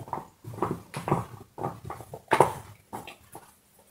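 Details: Dog chewing a bone, with steady crunching and gnawing bites roughly every half second. One sharper crack stands out partway through.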